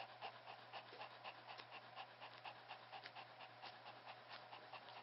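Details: Newborn Pomeranian puppy, under 14 days old, the only one of a litter of three to survive birth; Pomeranian father, part-Pomeranian mixed mother. Soft, rapid, breathy puffs repeat about twice a second in a steady rhythm over a low constant hum.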